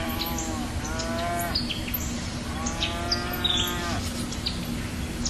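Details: Cow mooing in a series of drawn-out, harmonic-rich calls, one short and two longer, each rising slightly then falling, over a steady low hum with bird chirps scattered above.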